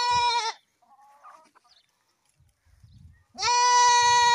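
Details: Goat bleating in a lighthearted farm scene: two loud, steady, nasal bleats, one at the start and one after three seconds, with faint softer animal noises in the quiet gap between them.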